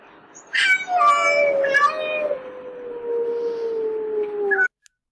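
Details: A domestic cat gives a loud snarl at another cat it dislikes while they patrol a garden. It is a sudden harsh burst that drags into a long, slowly falling tone, an aggressive threat loud enough to startle the person filming.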